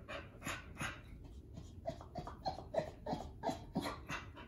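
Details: Pit Bull/Bully mother whelping her first litter in a crate at home, a newborn puppy trying to nurse; loud, uneven rhythmic panting, roughly three breaths per second, mixed with brief high whimpering squeaks.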